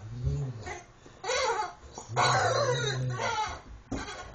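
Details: A Rottweiler playing with his favourite stuffed chicken toy, which he throws in the air and catches, gives low, rumbling growls broken by noisy, breathy bursts.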